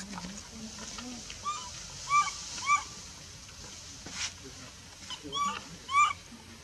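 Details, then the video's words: Baby female monkey in the Bayon area cries as her mother pushes her away and refuses milk; thin, arched squealing whines rise and fall in short separate bursts, with low murmuring voices at the start. "Super sad baby monkey is crying when her mom is try pushing her out for reject milk"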